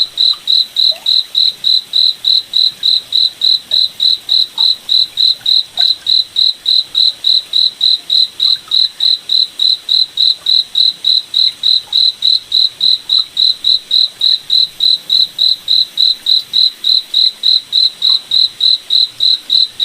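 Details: Cricket chirping at night in a moonlit forest: a steady, high, pure-toned pulse repeating about three and a half times per second, very regular throughout, with only faint soft background rustle.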